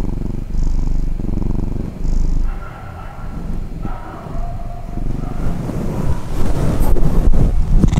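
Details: Domestic cat purring while deeply asleep as its owner disturbs it: a steady low rumbling purr that swells and fades with each breath, with faint tonal sounds midway and louder rustling and handling noise toward the end.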